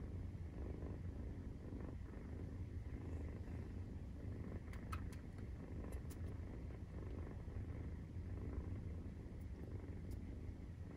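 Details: Purring of a 43-day-old Maine Coon kitten during nursing: a continuous deep rumble, steady in level, with a few brief sharp clicks near the middle.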